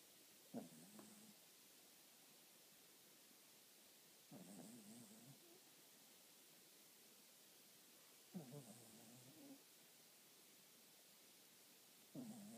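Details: Pearl, a pet cat, asleep and snoring quite loudly before waking on noticing the camera: soft rasping breaths that come in short bursts roughly every four seconds over a quiet background.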